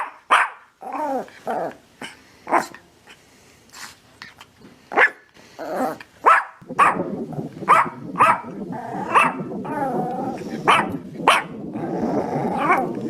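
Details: Dog barking steadily, about every second: short broad bursts, some growly. A rough, continuous rumbling undertone fills the second half beneath the barks.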